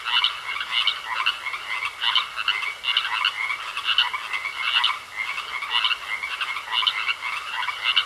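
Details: Frogs croaking in a pond: a rattling, pulsed croak repeated in steady bursts roughly once a second, about nine bursts in eight seconds, mid-to-high pitched and grating, with a faint steady hiss underneath.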